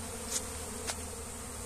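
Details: Honey bee swarm with one queen and many males settling into a box to build a new nest as a colony is shifted by hand; continuous low humming drone, two short sharp clicks partway through.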